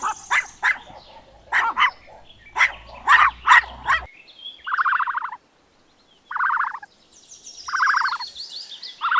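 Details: Puppy making a series of short, high yips and squeaky barks, irregularly spaced over about four seconds, then several longer, buzzy whining calls separated by brief pauses.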